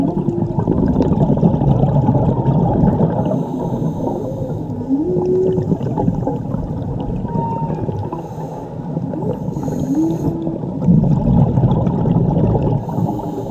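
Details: Underwater recording from a dive in Mexico of song by a whale mother and her calf. Two gliding, upward-curving moans come about five seconds apart, with faint squeaky notes between them, over a dense wash of water noise.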